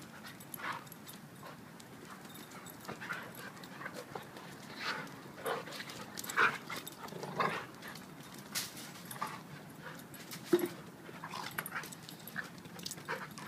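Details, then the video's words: Two dogs play wrestling: Duke, a 7-year-old blue/red pitbull, and Lucy, a 7-month-old German Shepherd. Scattered short, noisy bursts of growls, grunts and scuffling rise and fall unevenly across the clip, with louder clusters near the middle. "Pitbull vs. German Shepherd wrestling match"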